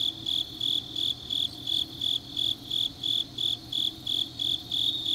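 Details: Grass insects calling on a deep autumn night at Changnyeong in South Gyeongsang Province, Korea: rhythmic shrill chirping bursts, roughly three per second, steady and unbroken, with quiet low background noise.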